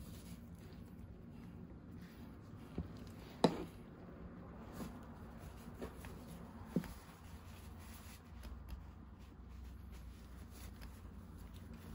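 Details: A quiet indoor room with a low hum, faint rustling and a few soft clicks.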